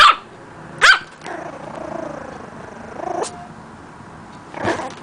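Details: Puppy learning to bark gives a quick high bark, then a second, followed by a drawn-out whiny, wavering tone before another short yap at the end.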